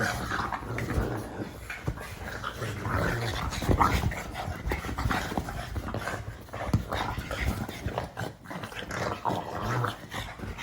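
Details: Funny noises from a pug: a steady stream of throaty grunting, snuffling and low growl-like rumbles, with brief louder snorts near the middle and end, heard in a small indoor room.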